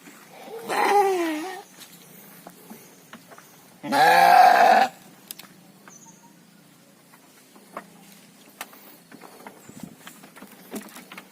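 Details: Farmed gibas sheep kept for quick fattening: two strong wavering bleats about three seconds apart, the second harsher and louder, followed by quiet pen rustling and scattered clicks.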